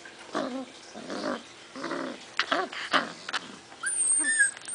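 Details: Six-week-old puppies awaiting adoption, making soft playful growls and grumbling yips in short bursts, followed by a high thin whine near the end, with shuffling and light movement noises around them.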